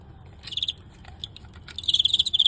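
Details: Fighting crickets during a live match against a renowned Guangxi fighting cricket, narrowly won: short bursts of shrill, high pulsed chirping, a brief train near the start, then a longer run of about eight rapid pulses at the end.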